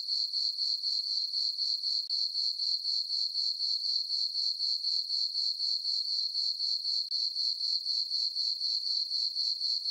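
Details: High, ringing cricket chirps from a summer-night meadow on a farm under a full moon repeat steadily about four times each second, a uniform pulsing with nothing else heard.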